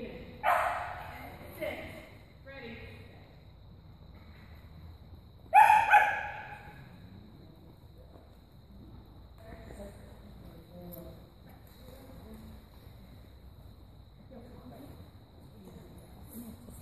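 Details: Soft-coated Wheaten Terrier named Cianán giving a few sharp barks near the start and around six seconds, then quieter intermittent vocal sounds with low background noise.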